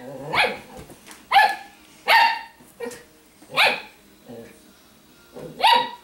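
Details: Shimmer, a female Italian Greyhound, dressed in doggie clothes and warning off another dog, Sparkle, because she doesn't want to play; harsh snarling bursts come in short bouts about once a second, with quieter grumbles between them.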